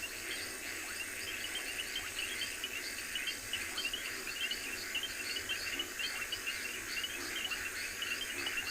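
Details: At sunrise on October 15, 2020, reed frogs in a river call at once, their high, shrill chirps and clicks blending into a continuous shimmering chorus in which no single caller stands apart.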